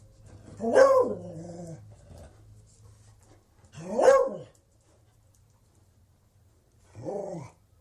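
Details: Beagle giving three separate baying barks, each a rising-then-falling drawn-out cry about three seconds apart, the last one shorter and softer, with quiet pauses and a faint low hum between them.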